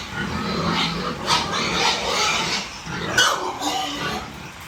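Hungry piglets squeal and grunt together in a dense, noisy chorus.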